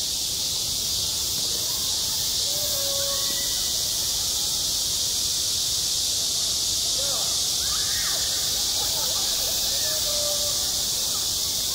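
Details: High-summer cicada chorus on a school playground: an intense, even, high buzzing wall of sound runs without break, with scattered faint tonal calls or distant voices beneath.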